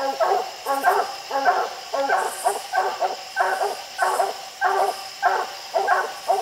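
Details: Hunting dogs barking at a tree holding raccoons on a steep, slick hillside at night, where six raccoons were treed; steady, regular chopped barks roughly every three-quarters of a second, with faint insect hum high above.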